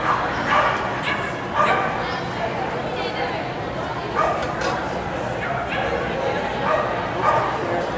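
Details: Agility trial dog, AKC event, Winchester, Virginia, July 2010: scattered abrupt barks every one to two seconds, partly masked by continuous human voices and crowd noise.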